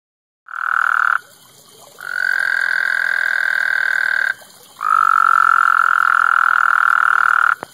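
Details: Pond frogs in a backyard pond, four present, two mating while two others croak loudly; three long, steady, buzzing trills, each lasting one to two and a half seconds, separated by brief pauses.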